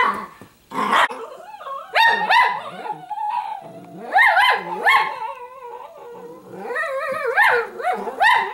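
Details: Italian Greyhounds, several females, play-fighting with each other as normal everyday behaviour; bursts of growly, yodelling vocalizations with whine-like tones that swoop up and down, loud and close, with short pauses between the rough play bouts.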